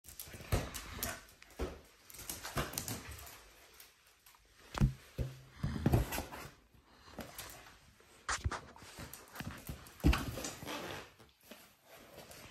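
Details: A corgi playing with a balloon, batting it into the air, gives short whimpers and yips among bursts of thumping and squeaking noise.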